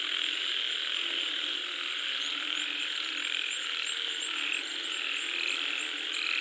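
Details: Frogs croaking while rain comes down; a thick, unbroken wall of overlapping calls with a few brighter chirps standing out near the top, over constant hissing.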